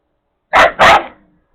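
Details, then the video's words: Female Jindo dog threatening a male while following him, with three males tolerating her; a quick double bark, two loud harsh bursts in close succession, then fading. "또 위협하는 젤리 지금 진돗개 수컷 세 마리가 다 참아주고 있습니다"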